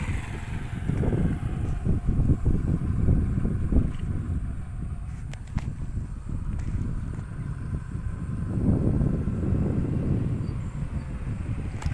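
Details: Heavy wind buffeting the microphone rumbles throughout, with a few faint knocks and no clear animal call.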